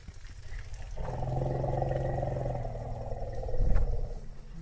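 An African bush elephant gives a deep, steady rumble lasting about three seconds.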